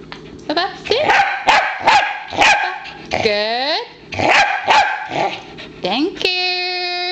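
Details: Pembroke Welsh Corgi wearing an insect-shield dog T-shirt makes a run of sharp rising whines and yelping barks in quick bursts, ending in a long steady high whine, with a person's voice mixed in.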